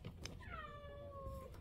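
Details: Feeding-time meow from a stray cat, one of two brothers born to the same mother in 2023: a long, steady, clearly harmonic cry lasting about a second, trailing off, over low background hum and a person urging the cats inside.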